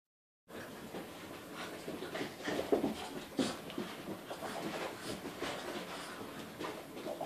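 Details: Boston Terrier and French Bulldog puppies wrestling, two young dogs at play: scuffling bursts, snorts and short whiny vocal notes scattered irregularly, loudest in the middle, in a small quiet room.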